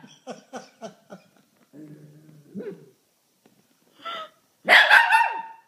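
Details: Pet Shih Tzu reacting to sneezing with a short series of soft yips, a low wavering moan, then a sudden loud burst of bright barking at the end; a person's voice briefly in between.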